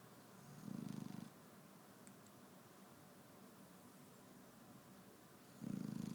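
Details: Sleeping Shar Pei dog snoring in the morning, two low rattling snores with a fast pulsing texture, each about half a second long and roughly five seconds apart, over a faint steady indoor hiss.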